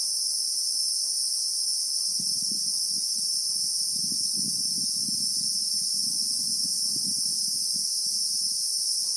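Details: Christmas beetle (Anoplognathus) calling in real time in South African bushveld among acacia trees: a continuous, unbroken shrill drone with two steady high bands, joined after two seconds by low rumbling bursts of background noise.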